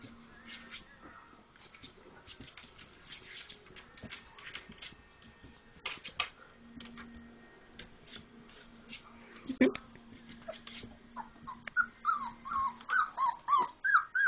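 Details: Playful four-week-old Labrador Retriever puppies after a meal; scuffling and rustling at first, then a run of quick, wavering high whines repeated rapidly near the end, with a low steady hum underneath.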